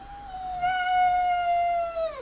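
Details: A female domestic cat inside a cage howl-growls at another cat who is getting too curious, a long, steady howl that drops sharply in pitch at the end as a warning.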